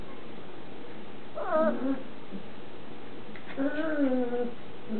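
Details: Six-week-old Shetland Sheepdog puppies from a Red X Turner litter in a large agility playpen; two drawn-out harmonic whines, the first short and falling, the second longer and wavering, over a quiet indoor background.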